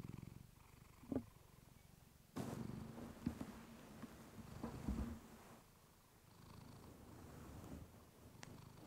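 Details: Purring from Clementine the house cat, recorded on a fluffy mic for relaxation; low throbbing purr that fades and swells, interrupted by several sharp rustling clicks and thumps from movement near the microphone.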